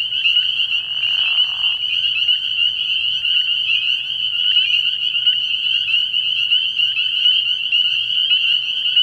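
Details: Early-year night chorus of spring peepers at a frog pond, high piping peeps blending into a continuous shrill band; a brief lower grating trill sounds at the start, and a weak low hum persists.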